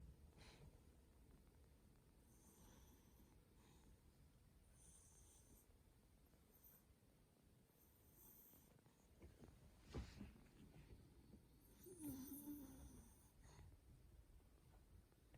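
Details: A black dog snoring softly while cozily asleep indoors: quiet, uneven breathy rasps over a low rumble, with a sharper snort near ten seconds and a brief throaty buzz around twelve seconds.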